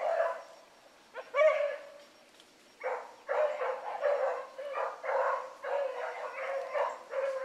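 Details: Young hounds giving voice on a rabbit chase one morning, pups Ringo, Mingo and Choco leading; a lone bay, a pause, then a steady run of overlapping yelping bays from several dogs.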